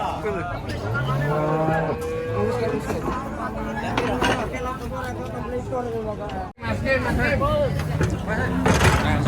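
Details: Cattle at the crowded Karanggede cattle market, Indonesia: deep short moos and lowing from several animals mixed with constant human chatter, shouting and passing vehicle noise.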